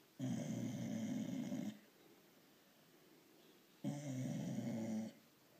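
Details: A female blue Staffordshire bull terrier gives two long, low, rumbling grunting or snoring noises, which she makes when she wants petting or attention.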